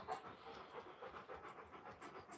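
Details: Alaskan Malamutes Moose and Raven playing together outside; quick, steady panting breaths repeat several times a second as a soft breathy rasp throughout, with faint background noise.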